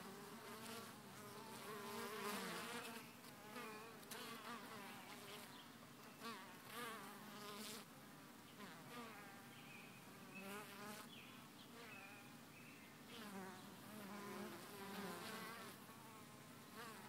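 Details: Bees coming and going at the entrance of Hive 1, several returning with full orange pollen loads; a dense, fluctuating buzz of many insects, with pitch glides rising and falling as individual bees fly past.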